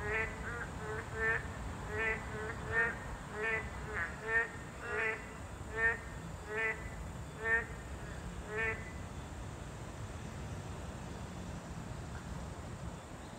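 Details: Boreal digging frog, a Class 2 protected species, at its habitat: a run of rapid, buzzy croaks about every half second for nine seconds, then stopping, leaving steady background hiss and faint low rumble.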